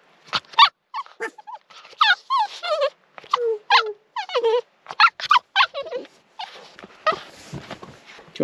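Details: Jess, a four-and-a-half-month-old female Cavalier King Charles Spaniel in northeast Victoria, Australia, answers a command to speak with a quick run of short high yaps and whiny grumbles, a human voice mixed in.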